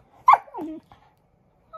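A German Shorthaired Pointer puppy gives a sharp high yelp followed by a falling, whiny whimper.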